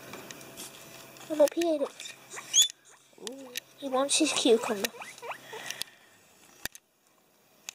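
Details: A male pet guinea pig kept indoors gives short, squeaky, bending chirps, first in a brief burst and then in a quicker run of rising-and-falling squeaks. A person speaks faintly, and the sound ends in near silence with a few clicks.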